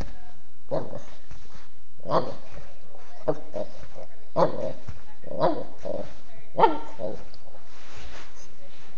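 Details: Norman, a Mastiff cross dog, barks six times in a steady run, about one bark a second, each bark deep and rough, with a quieter noisy stretch at the end.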